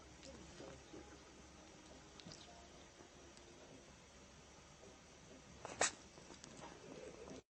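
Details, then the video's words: Hedgehog sneezing indoors: a single sudden, sharp, hissing burst near the end, preceded by soft snuffling and faint rustling over a steady low hum. "Чихающий ёжик"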